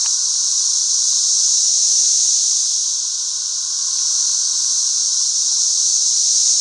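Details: Thousands of 13-year periodical cicadas swarm and fly all over a back yard; a loud, steady, hissing high drone swells and dips slightly, with a fainter humming band underneath.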